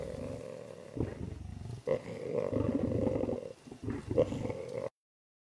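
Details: Royal tiger on a road in the wild, giving long, low, rumbling roars with harmonic bands, several drawn-out bursts separated by short pauses, ending abruptly.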